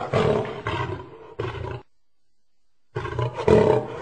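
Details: Lion uttering three short, harsh growling roars in quick succession, then about a second of silence before another rough, louder roar burst; deep rumbling tone throughout, nothing else audible.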